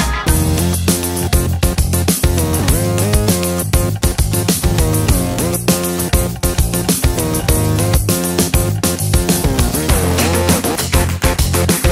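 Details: Loud guitar-driven music with bass and a busy rhythm fills the whole stretch, with no barking or other animal sounds.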